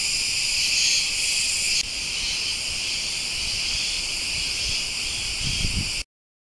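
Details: Cicadas chirp in a continuous high, layered drone that holds its level, dipping slightly partway, with faint low thumps near the end before sudden silence; a butterfly is also present.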